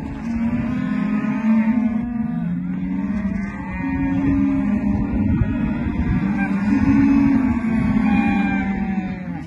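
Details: Many rustic calves of Angus, Brangus and Hereford breeds bawl at once: long, low moos that swell and fade, overlapping continuously, with a few higher wavering cries over the dense herd noise.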